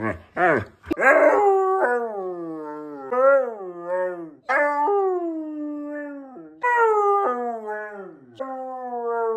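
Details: Siberian Husky scolding its owner for scaring away its pig friend, a run of long, wavering, woo-like howls that rise and fall, some held for over two seconds, opening with a few sharp yelps.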